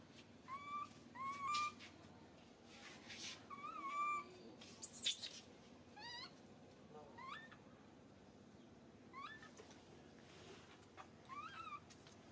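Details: Baby monkey crying in pain after being grabbed, a long run of sharp upward-sweeping squeals and wavering wails, some with noisy rasping bursts, repeated every one to two seconds with short gaps.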